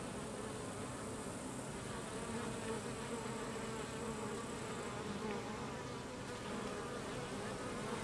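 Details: Carniolan honey bee workers driving drones out of their hive: continuous droning buzz of many bees, even in loudness, with humming tones rising and falling slightly over eight seconds.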